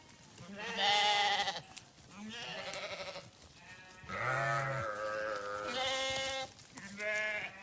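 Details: Grazing sheep on a farm bleating loudly and repeatedly: long wavering harmonic bleats, some deep and some high-pitched, overlapping from several animals, roughly five calls within eight seconds.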